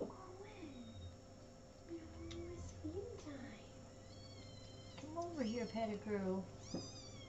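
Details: Little kittens on 13 May 2017 mewing: drawn-out, bending meows at first, then a burst of overlapping, wavering cries from several kittens around the fifth and sixth seconds, with a low background hum throughout.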